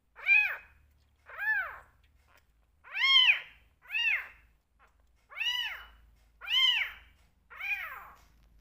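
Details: Domestic cat kittens, two rescues being bottle fed, call for milk and attention with seven clear, rising-then-falling meows, roughly one per second, in a quiet room.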